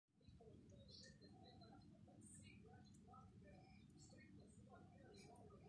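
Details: Pekingese puppies, 25 days old, give thin, high squeaks and whimpers over a steady low rumble.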